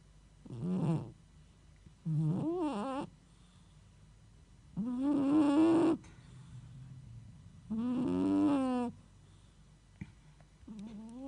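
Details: Sleeping domestic cat snoring: four drawn-out, nasal, tonal snores at intervals of about two and a half to three seconds, each wavering and slightly rising in pitch, with quiet breathing between them in a hushed indoor space.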